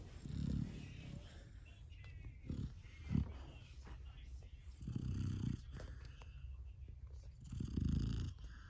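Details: Sleeping Golden Retriever puppy snoring indoors: low, rough breaths surge in uneven bursts every couple of seconds, some short and some drawn out, over a quiet room hum.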